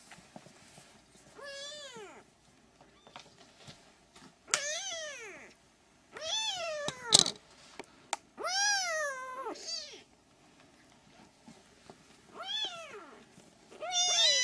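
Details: Three-week-old Siamese kittens crying in a rapid, irregular series of short arched mews, some overlapping, shrill and harmonic-rich, with a few soft knocks between calls.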